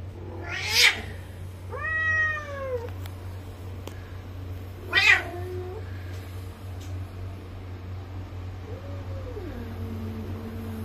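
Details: Male and female Bengal cats at a mating meeting, the female having arrived that evening: sharp spitting bursts alternate with drawn, falling meows, then a softer bent call near the end, all over a constant low hum.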